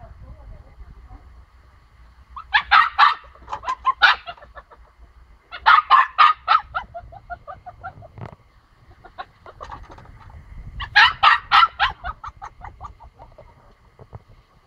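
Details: A female pomsky puppy, shut in and wanting out to be with another pomsky, gives bursts of high, yappy barks and yips, with a whiny trailing note between bouts.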